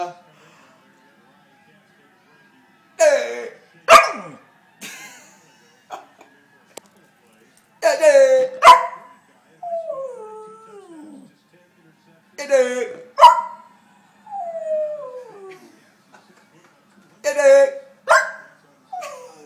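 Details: Pembroke Welsh Corgi howling in reaction to being called "Jerk": sharp yelping barks alternate with drawn-out, wavering, falling howls in bouts every few seconds, with a person's voice between them.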